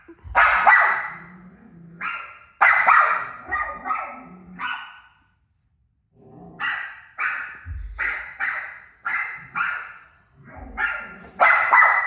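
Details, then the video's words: Rosie, a pet dog, barking at her own barking on TV; loud harsh barks in quick bursts, a short lull near the middle, then a steady run of sharp barks about every half second. "Crazy Rosie Barking At Her Barking Self On TV"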